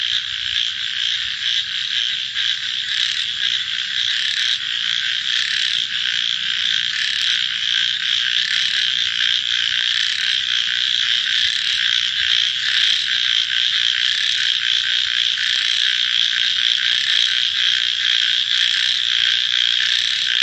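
A dense night chorus of many frogs, their high croaks and trills merging into a steady drone.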